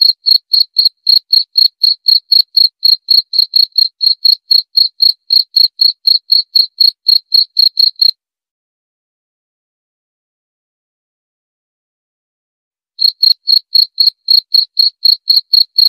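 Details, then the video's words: A cricket gives rapid, even high-pitched chirps about four per second for eight seconds, falls silent for roughly five seconds, then resumes the same pulsing rhythm; no other sounds. "Suara Jangkrik"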